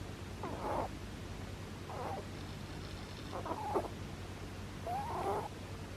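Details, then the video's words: A rabbit snores in its sleep: four brief raspy puffs roughly every one and a half seconds, some with a thin squeaky edge, over a continuous low droning hum. "Kaninchen schläft und schnarcht | Snoring Rabbit, Bunny"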